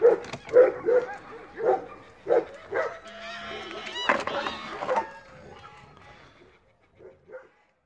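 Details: Belgian Malinois known for piercing sheet metal with its teeth barks in a quick run of loud, clipped woofs roughly twice a second, followed by a drawn-out tonal crowing sound and talking, then a few soft final barks.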